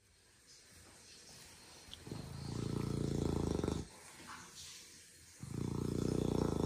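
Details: Asleep indoors, the pet beagle Rocket gives loud, deep, buzzing snores, two sustained rattling inhalations about 1.5 seconds long separated by a softer breath, over a faint room hum.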